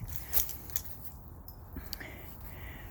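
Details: Outdoor low rumble with faint rustling, scraping and a few soft clicks and jangles, and no animal voice heard.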